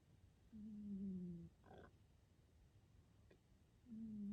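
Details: Calvin, a short-nosed pet cat, snores in his sleep indoors: two low droning tones, each about a second, sliding slightly downward, with a quiet breathing gap and a faint click between them.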